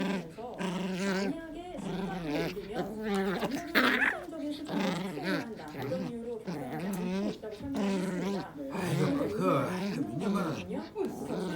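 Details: Pet dog growling while playing tug-of-war, with wavering, rising and falling growls in long runs and short gaps, mixed with a person talking throughout.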